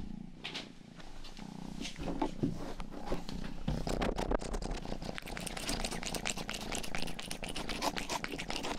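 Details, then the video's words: Rang-i, a household's youngest pet cat, grooms the ears of a 3Dio binaural microphone indoors: a steady low purr rumbles beneath dense, wet licking clicks repeating rapidly throughout, with brief louder lapping bursts. "Purring & ear licking sound"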